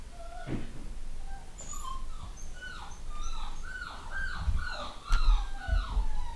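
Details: A home-bred litter of pedigree Long Haired Miniature Dachshund puppies in the UK. Brief high squeals repeat in quick succession, each falling in pitch, with low bumps and knocks underneath.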